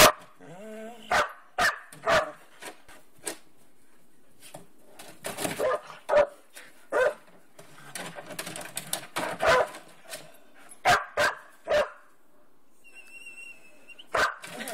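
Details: Young dog Nakita annoys older dog Jasmen, a household pet, provoking irritated barking. Sharp barks come singly and in rapid clusters over about fifteen seconds, with drawn-out whining tones near the start and a thin high whine near the end.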